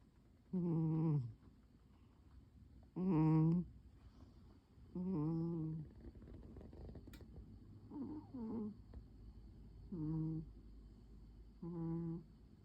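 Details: Pon the cat sleeps soundly, curled on a chair under the table on a calm afternoon. There is a steady run of seven low, buzzy snoring breaths, roughly two seconds apart, some louder than others, in a quiet room.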